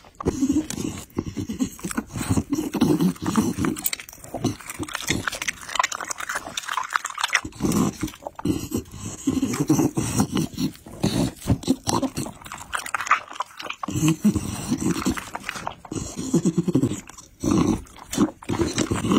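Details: Pit bull eating chicken and raw meat, with wet, irregular crunching and smacking chews in bursts, short pauses between mouthfuls and a faint voice now and then.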